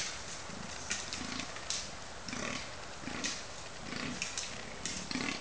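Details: Fallow bucks at the October rut on Cannock Chase give deep, belching groans, repeated roughly every second over a steady hiss; bucks fighting.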